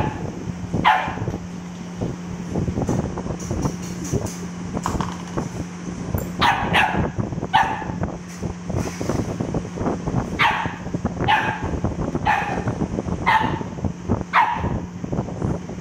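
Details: Cute dog barking repeatedly, with scattered barks early and a steady series of about five barks roughly a second apart toward the end, against clattering noise and a continuous low hum.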